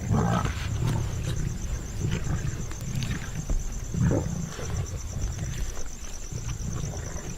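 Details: Asiatic lion pride crowding a deer kill in India, where dominant mothers let their own offspring in first and space is scarce. Low, throaty growls come in short rhythmic bursts about every second, with rustling and chewing noises between.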